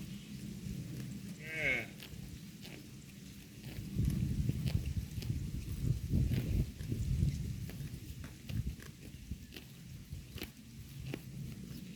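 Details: Herd of cows grazing on pasture grass: dense low crunching and tearing of grass, irregular bites several per second, with a short bleat-like call near the start and soft rustling throughout.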